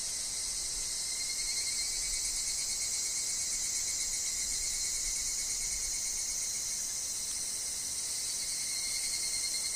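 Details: Higurashi, or evening cicada, calling in a woodland where wind and falling leaves are also heard. The call is a dense, steady, high shrill that runs unbroken through the whole stretch, with a thin tone underneath and a soft hiss of wind.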